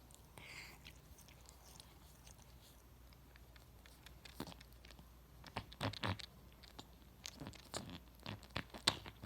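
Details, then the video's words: A cat licking itself while grooming indoors: a quiet start, then clustered moist tongue clicks and smacks grow denser and louder through the second half, in a small room with low background hum. "Cat makes loudest sounds licking self"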